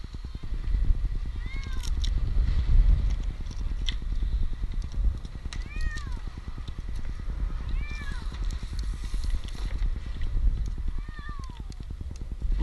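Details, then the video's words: Stranded for two nights high in a Newark, Ohio tree, eight-month-old kitten Jinx calls with five short falling meows spread over twelve seconds, each a bent harmonic arc, above a constant throbbing engine-like drone and faint voices. "Cat in a tree rescue"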